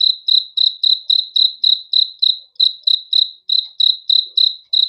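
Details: Cricket heard at night: high, metallic chirps pulsing rapidly and fairly evenly, with a couple of short breaks in the rhythm, over a silent background.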